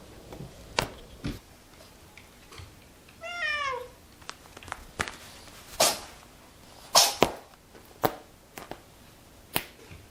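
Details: House cat with one drawn-out meow that starts high and falls steadily, rich in harmonics, amid repeated sharp clicks, taps and knocks around a small room.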